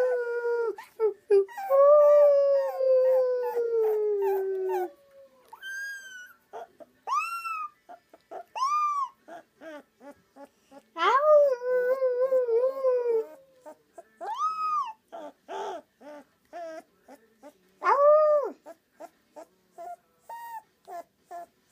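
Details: Rottweiler puppy howling: long wavering tonal howls with rich harmonics, some sliding downward over several seconds, broken by short yelps and whimpering notes in between, arching rising-falling calls repeated every couple of seconds, clean background.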